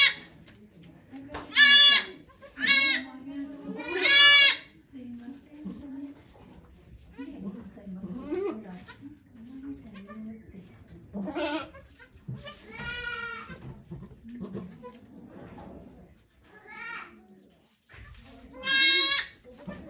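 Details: Bleating at Yoshigake goat farm in Japan while the nanny goat Okayu gives birth to two kids on 3 May 2023: quick bursts of bright, quavering bleats early and late, with volunteers talking quietly in the gaps.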